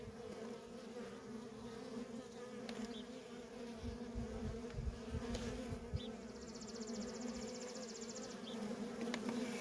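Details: Feral honey bee colony with constant worker traffic. It makes a steady, deep-toned humming drone, with individual bees zipping past and a short stretch of fine, rapid high ticking near the end.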